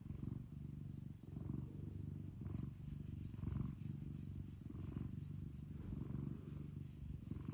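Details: House cat purring continuously, a deep buzzing rumble that rises and falls with its in and out breaths about once a second, with faint soft rustles over the top.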